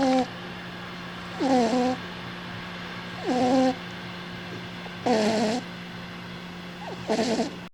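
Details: Domestic cat snoring while asleep: four rhythmic, buzzy breaths with stacked harmonic tones that sweep downward, repeating roughly every two seconds over a constant low electrical hum.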